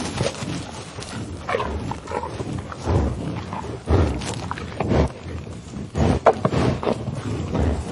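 A bison gives deep, rough grunts and low rumbling snorts in uneven bursts about once a second.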